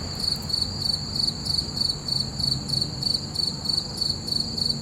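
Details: Crickets chirping at night under a full moon: a steady high, shrill trill broken into short pulses about three per second, with a faint low rumble underneath.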